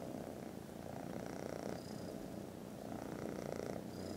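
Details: Snoozing foster kittens, contented after lunch, purr very loudly in a rapid pulsing rumble that swells and eases slightly, with faint high thin tones appearing near the end.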